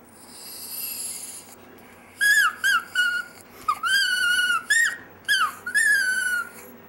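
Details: Pet Chihuahua Dexter "singing" in a run of short, whistly whining notes, some rising and some dipping, strung together with brief breaths between them over the last five seconds.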